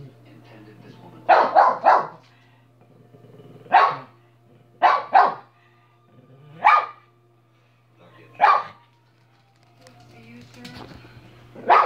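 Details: Dog barking in a loud indoor series: a quick burst of three barks, then single or paired sharp barks spaced one to two seconds apart, over a low steady hum.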